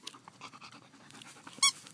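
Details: German Shepherd at play, giving a single short, high, squeaky whine near the end after a stretch of soft panting and light rustling.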